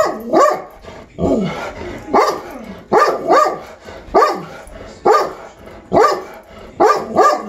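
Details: A dog barks in excitement at squirrels, recorded on April 23, 2020: loud, sharp barks roughly once a second, some coming in quick doubled bursts, with quiet gaps between them.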